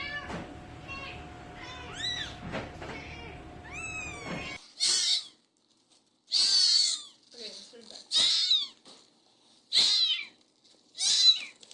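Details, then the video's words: Cats and kittens meowing indoors: several softer, wavering meows over a low hum at first, then a run of five loud, bright meows spaced about one and a half seconds apart with silence between. "So many cute Kittens meowing"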